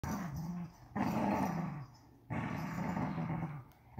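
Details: Vizsla puppy, day 61, playing tug of war with a unicorn toy indoors: three rough, rumbling growls of about a second each, separated by short pauses, the last one longest, with a sharp noise at the very end.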